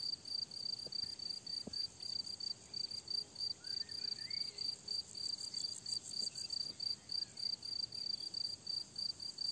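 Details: Crickets chirping on a summer meadow: steady pulsed high chirps, about 200 a minute in short regular bursts, over a fine continuous high buzz, with faint brief bird notes in the middle.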